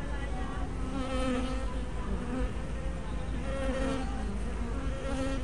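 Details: Continuous humming of many honey bees around a hive entrance, captured 24 May 2012 on a spy cam fitted with a 180-degree fisheye lens. The deep, even buzz is stacked with overtones and brief louder passes as bees fly close.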